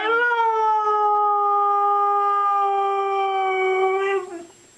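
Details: Pet dog indoors giving one long sustained howl of about four seconds, steady and clear with rich overtones, briefly rising at the start and fading at the end.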